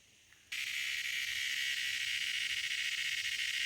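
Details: A cicada producing a loud noise: half a second of near silence, then an abrupt, intense, high-pitched buzzing drone. It stays constant and slightly pulsing to the end.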